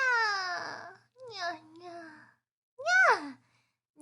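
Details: Kitten meowing indoors: a drawn-out, falling cry, then a softer wavering mew, and after a pause a sharp rising-and-falling meow.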